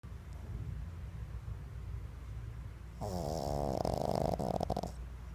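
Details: Sleeping pug snoring: after three seconds of low rumbling background, a loud rattling snore with a wavering buzzy tone and hiss lasts about two seconds before easing off.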